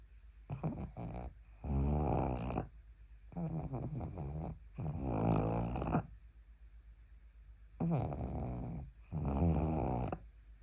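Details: Pug asleep while resting its head on a person's arm, snoring in six loud rasping bursts over about eleven seconds. The bursts come in pairs, a short snort followed by a longer rumbling one, with quiet breathing gaps between them in a still indoor room.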